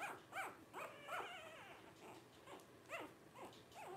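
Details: Five 12-day-old Blenheim Cavalier King Charles Spaniel puppies, two females and three males born at New Year 2023, whimper and squeak in short rising-falling cries, several overlapping, with quiet pauses between.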